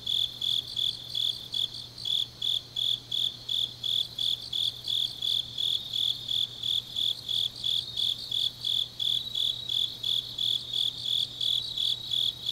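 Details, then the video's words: Autumn grass insects singing late at night in Changnyeong, South Korea: a shrill, high chirp repeated evenly about three times a second, layered over a softer continuous insect trill and a faint low hum. "깊은밤 가을 풀벌레 소리"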